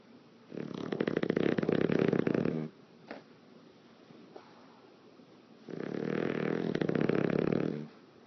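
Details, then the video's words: An English Bulldog asleep indoors, lips flapping as it breathes, gives two rough, rattling snores of about two seconds each, separated by a quiet pause with a soft breath. "English Bulldog Lip Flappying Snoring in the Wind"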